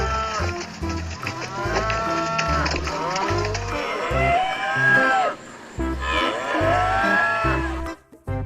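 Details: A cow gives several long, drawn-out moos that swoop up and then fall away, over a steady beat of background music.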